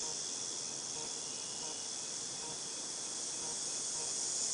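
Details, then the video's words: Cicadas recorded in August 2018, a dense, unbroken high-pitched shrill hiss holding steady throughout with no pauses, a faint steady tone beneath it and a quiet low rumble of background noise. "Cicadas Tinnitus Sound"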